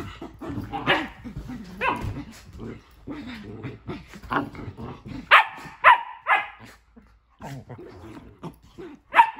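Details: Pet dogs Nala and Jersey playing in their new playroom, with Nala not wanting Jersey in the tent; rapid, irregular barking and growling with dense, overlapping yips, sharper louder barks bunching toward the end.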